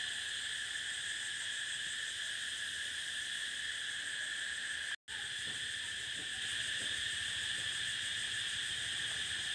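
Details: Cicadas on a prairie fill the air with a steady, shrill, unbroken buzzing drone.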